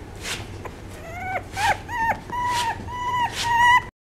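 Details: Smooth-coat Chihuahua whining: a series of about six high, tonal whimpers, each a steady drawn-out note, several ending in a sharp downward drop. Short breathy puffs fall between them, and the whines grow louder toward the end.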